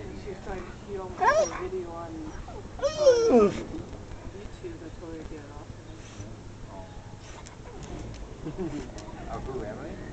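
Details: Husky/wolf mix named Emily, a talkative runt female who had seven pups, makes two drawn-out rising and falling yowls early on, then quieter murmuring sounds, with household voices around her.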